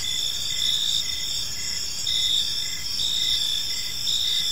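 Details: Crickets chirping in a peaceful park on an evening, several high steady trilling bands layered together with a faint pulsed chirp repeating below them over a soft low background hum.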